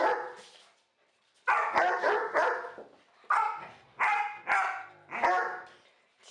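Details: Following a short pause, a dog lets out a run of forceful, gruff barks spaced under a second apart, each ending in a fading tail.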